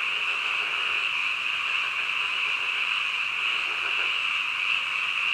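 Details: Night-time croaking of frogs, heard as a constant bright droning chorus with uniform loudness throughout and no breaks between calls.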